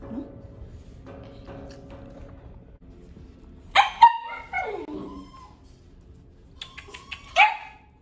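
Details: A 12-year-old white female poodle mix gives a few sharp, high yapping barks in the middle of the clip, after a quiet stretch with faint background hum.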